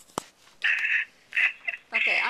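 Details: Pomeranian puppy, young female, listening to a familiar voice over a cell phone at a relative's house; three high, whistled whining calls, each about a third of a second long, after a brief click.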